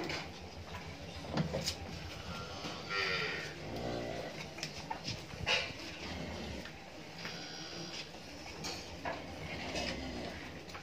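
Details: Friesian cow at a dairy farm in Pabna, Bangladesh, a second-calver with a female calf; a deep, drawn-out moo rises midway, with knocks, rattling and background barn noise around it.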